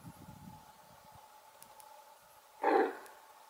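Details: Red deer female giving an alarm signal, a single harsh bark recalling a large dog's bark, loud and brief near the end, preceded by faint low rustling and soft thuds.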